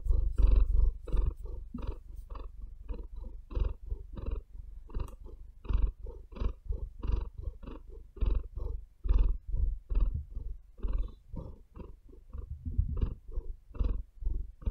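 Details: Pet cat breathing and purring on a bed, a continuous low rumble rising and falling in rhythmic pulses, louder at first, with occasional faint claw scratches against the fabric.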